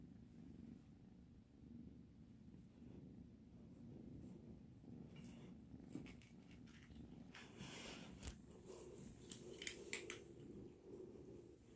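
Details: Purring kitten, a low steady rumble rising and falling with each breath, overlaid later by scattered clicks, rustling and handling noises close by.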